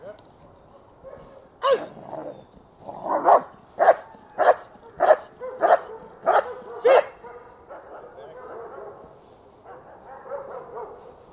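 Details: German Shepherd in protection training, shown as obedient and protective, gives a burst of eight sharp, loud barks spaced about half a second apart. Quieter murmuring voices follow.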